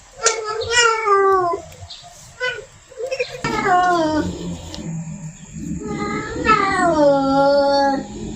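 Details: Female cat in heat calling a male, with two short meows, then longer drawn-out yowls, one rising and holding; a low rumble and possible voices sit in the middle.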